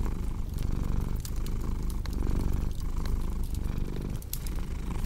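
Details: Pet cat purring loudly and evenly, deep rumble swelling in long breaths, with occasional sharp crackles from a burning fireplace.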